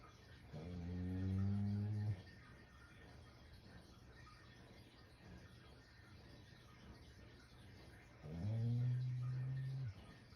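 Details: Intense snoring from a sleeping Shiba Inu: a low, rasping snore of about a second and a half, a long pause, then another rising into a steady drone, indoors.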